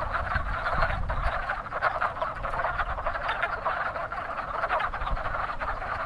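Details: Wood frogs in spring, among the first frogs to breed, calling from an active pond: a steady mass of overlapping hoarse clucking croaks, with faint low rumbling beneath.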